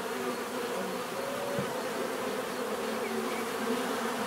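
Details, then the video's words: Bees buzzing steadily as a continuous droning hum with several overlapping wingbeat tones, no pauses, a dense swarm-like texture with faint hiss above. "bees therapy relaxing natural buzzing sound"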